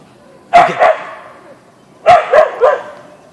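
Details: Boeing, a Siberian Husky (Ausky), barking on meeting a deer in a backyard: two loud barks about 1.5 seconds apart, each a quick double-pulsed, mid-pitched bark with a fading tail.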